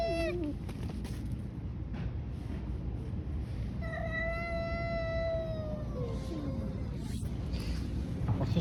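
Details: [1, 'Street cats fighting outdoors: a short yowl at the start, then a long, drawn-out harmonic wail that holds steady before sagging lower in pitch, over a constant low street rumble.']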